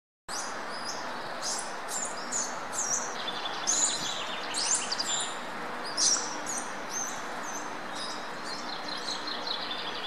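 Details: Bachelor group of Peruvian squirrel monkeys playfully roughhousing outdoors at Burgers' Zoo, Arnhem, on a chilly 6 C sunny winter morning; scattered sharp, high-pitched chirps and peeps come in irregular bursts over a steady broadband hiss.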